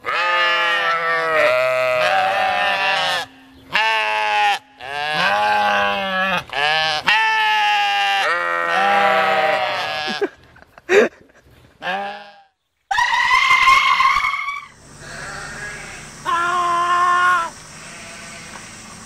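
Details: Screaming sheep: long, loud, humanlike bleats with strong harmonic bands, repeated in quick bursts for about ten seconds over a steady low tone, then brief gaps and a few shorter, shriller cries and a faint high whine.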